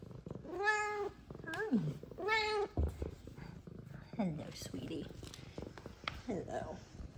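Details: Two F2 Savannah cats, a female and a male, in a happy greeting; one gives two clear, drawn-out meows while a woman talks softly to it.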